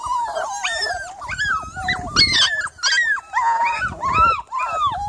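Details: Miniature Labradoodle on an evening in early July (3rd July), giving a steady run of high, wavering whines and whimpers, each note bending up and down, strung almost continuously with short breaths between them.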